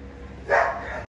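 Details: A single short bark from a male Golden Retriever puppy in Delhi NCR, India: one sharp, harmonic burst in the middle of the clip, with a low steady background hum before and after.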